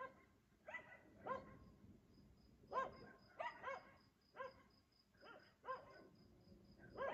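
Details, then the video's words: Dog barking at 3 a.m. every night while its owners sleep, in Aliseda (Los Galaperos), Spain: distant single barks spaced about a second apart, over a faint steady high-pitched hum. "Ladridos de perro a las 3 AM"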